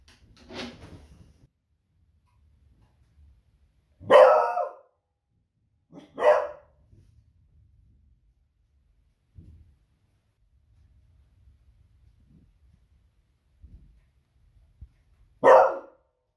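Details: Female Beagle barking on a Friday evening at very noisy fireworks, raising the alarm at the unusual sound: four loud, sharp single barks spaced irregularly over sixteen seconds, with quiet low thumps and shuffling between them.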